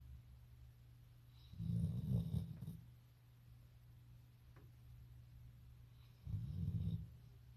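A Golden Retriever snores deeply, two low rumbling breaths several seconds apart.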